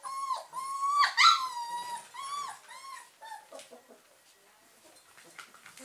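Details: Awake German Pinscher puppies give loud, drawn-out whines, clear and tonal with a falling start, several in quick succession before fading into quieter shuffling and faint squeaks.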